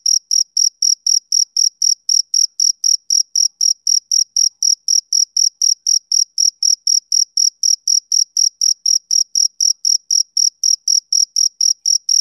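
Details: Male cricket calling: a continuous train of crisp, high-pitched chirps at about four per second, even in loudness throughout, in a quiet setting.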